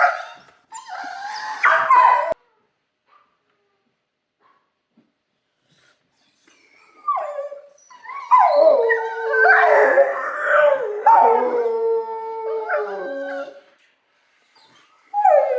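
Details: Dog howling in a kennel: a short whiny burst, then a long silence, then a sustained stretch of wavering, falling howls with rough edges that lasts about six seconds, and a brief yelp at the end.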